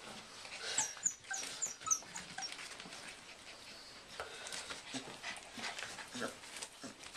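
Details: English Bull Terrier puppies, five weeks old, indoors: a few high, thin whimpers and yips early on, then steady rustling, scratching and small movement noises in a small room.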